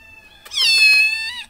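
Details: Domestic cat gives a single high, drawn-out meow lasting about a second, bright and harmonic with a slight downward bend at the end. Quiet indoor background with people chatting.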